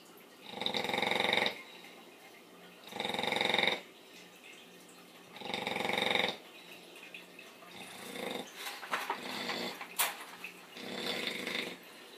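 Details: A little female bully dog asleep, snoring like a pig: loud raspy snores repeating roughly every two and a half seconds, later softer and more irregular with small snuffles and clicks.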